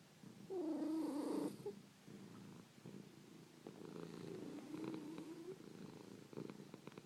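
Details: Snoring, purring domestic cats: a brief clear tonal call with harmonics sounds near the start, followed by an even, rapidly pulsing low purr with a faint melodic hum mid-way.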